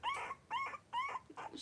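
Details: A litter of five three-week-old blenheim Cavalier King Charles Spaniel puppies at play indoors: three rising whimpering squeaks about half a second apart, then shorter yelps.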